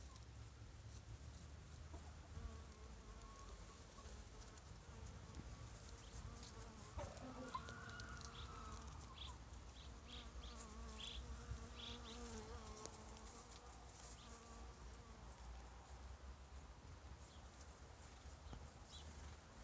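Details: European carpenter bee (Xylocopa violacea) foraging for pollen on runner bean plants, a droning buzz with stacked harmonics that rises and dips in pitch midway, over low rumbling background and scattered clicks.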